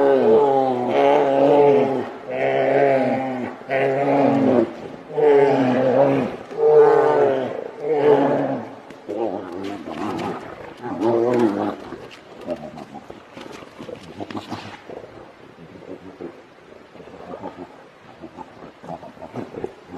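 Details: Two grizzly bears trade deep, harmonic roars and growls as their argument escalates into a fight.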